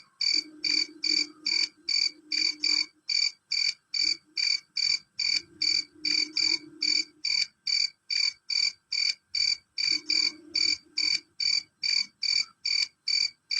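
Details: Male cricket chirping loud and shrill throughout, sharp high pulses repeated evenly about twice per second without a break, with a soft low droning hum coming and going underneath.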